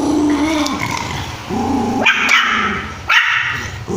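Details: An angry puppy barking at its dog mother gives sharp, high yappy barks mixed with a low growl.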